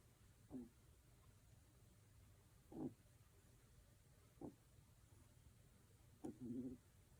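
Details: Lucca, a two-month-old female Kaninchen Dachshund puppy born July 22, 2021, snoring like an old man while asleep indoors: four short, soft, raspy snorts roughly two seconds apart in a quiet room.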